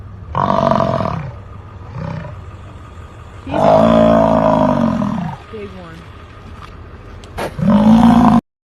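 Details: An American bison (Bison bison) bellows: deep, rumbling roars in several separate bursts, each a second or two long.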